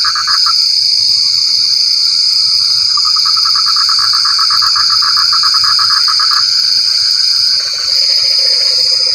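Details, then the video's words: Frogs calling in the rain: rapid pulsed, rattling trills at mid pitch run in bursts, starting, pausing and resuming, over a constant loud high-pitched insect drone, with a lower croaking buzz near the end. "Suara Kodok Hujan"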